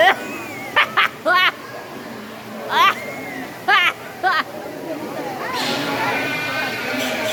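A giant otter gives short, squeaky, wavering yelps in quick bursts, with thin rising whistles between.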